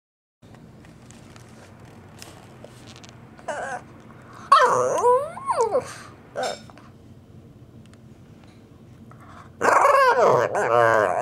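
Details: Wrigley, a pet Shih Tzu wanting to play, makes funny vocal noises: two long, wavering harmonic whines with a few short barks between, separated by quiet stretches of room sound.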